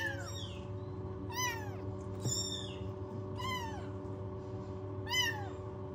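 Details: Newborn rescued kittens without their mother, kept in a warming box at home, mewing in thin, high, falling cries about once a second and a half, each repeated with clear harmonics over a steady low hum.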